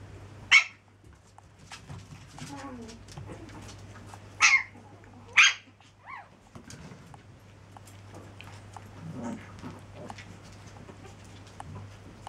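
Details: Chihuahua pups aged seven weeks let out three piercing high yips, one near the start and two close together a few seconds later, with soft rustling and a constant low hum between them.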